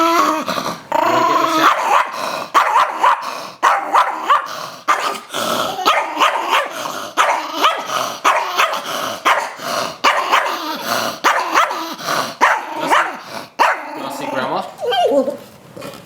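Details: Rosco, a pet Chihuahua that plainly dislikes showering, growls and yaps in a long run of short harmonic snarls and barks while a woman keeps coaxing him toward the shower and mentioning Grandma.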